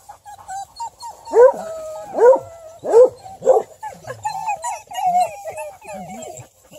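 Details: Female Bluetick Coonhound at ten months, a keen rabbit and deer runner, giving four strong barks spaced about three-quarters of a second apart, followed by softer wavering whines.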